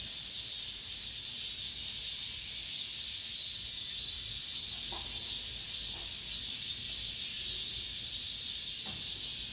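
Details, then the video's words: Cicadas singing in an apartment complex at summer's end: a continuous, piercing buzz that throbs in a fast, regular rhythm. A few faint short clicks sound in the background. "올 여름 마지막 매미소리"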